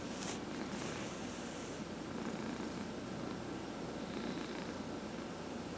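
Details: Massaged domestic cat purring in a home with four cats, some senior rescues; even, unbroken low rumble, with a short rubbing swish at the start and quiet stroking sounds.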